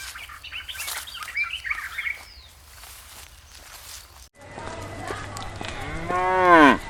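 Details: In a green countryside field in soft golden sunlight, small birds chirp and twitter, then a grazing cow lets out a deep, rich moo that swells and bends in pitch before breaking off, closing the recording.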